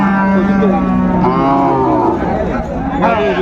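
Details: Cow with calf offered at Ambari cattle market in Dinajpur, 24 May: a deep, level moo held for over a second, then fading as men nearby talk and bargain over milk yield and price.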